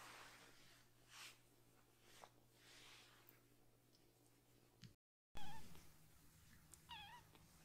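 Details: Rescued foster kitten, one of three siblings still needing toilet help, crying loudly while its lower body is washed indoors; after a quiet stretch of hiss and low hum, a few short, wavering, high-pitched meows bend up and down near the end.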